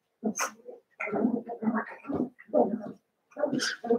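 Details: Eight Cavalier King Charles Spaniel puppies, six from Daisy and two from Robin, together at play; rough, low, rumbling growls and grumbles run in close bursts, with brief high squeaky yips breaking through.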